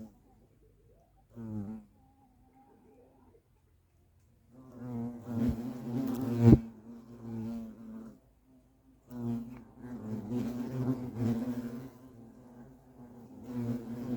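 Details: European hornets at their nest, heard as low droning buzzes in bursts of a few seconds separated by short silences, with one sharp click midway.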